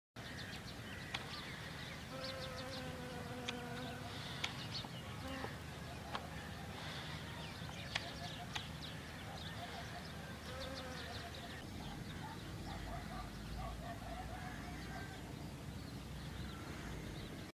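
Honey bees buzz steadily, a low droning hum that wavers in pitch as they fly close.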